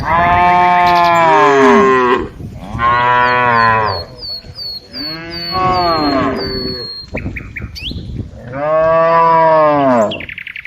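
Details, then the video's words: Tame cows being herded in the afternoon give four loud, drawn-out moos, each about two seconds long, separated by short gaps, with faint high chirps between them. "Cows Sounds"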